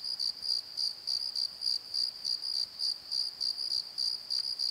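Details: Crickets calling at night in a valley bottom beside a tree at Pozo, filmed on a Nikon D7100: a steady high chirping in short pulses, roughly three to four bursts a second, with a faint overtone above.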